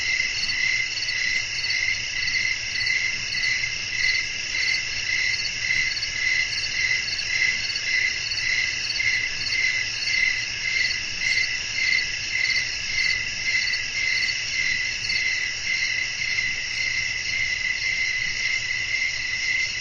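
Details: Crickets chirping at night in a natural setting with wind blowing: a dense, steady high chorus with a bright pulsing trill layered over a continuous shimmering hiss, unbroken throughout.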